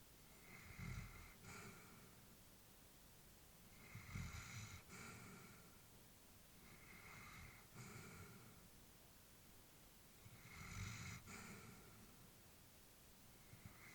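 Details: Peaceful indoor recording of an elderly female Labrador asleep, steady snoring breaths in a regular pattern, each a low rasping inhale then a soft whooshing exhale, about four cycles across the stretch, otherwise quiet.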